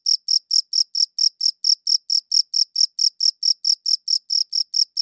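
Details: Cricket chirps captured with a good audio recorder: shrill, clear pulses at an even pace of about four per second, uninterrupted, with no other noise.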